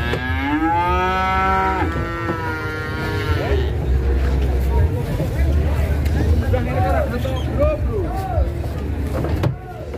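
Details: Cattle raging during loading onto a truck in Indonesia; one long, loud moo for nearly four seconds, falling slightly in pitch, followed by people talking and engine rumble.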